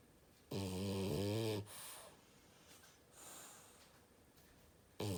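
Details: Snoring French bulldog: a heavy vibrating inhalation lasting about a second, a quieter breath out, then the start of the next snore.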